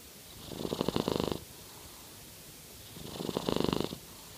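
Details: A Norwegian Forest Cat, which rarely makes more noise than this, gives a low, pulsing purr-snore in two long bursts about three seconds apart, each swelling and fading like a snoring breath, with a quiet pause between.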